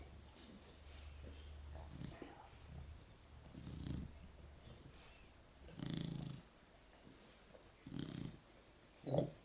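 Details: Several Shar Pei dogs cuddled up asleep produce husky, low snoring breaths repeating about every two seconds, each a brief rasp rising and fading, in a quiet indoor room.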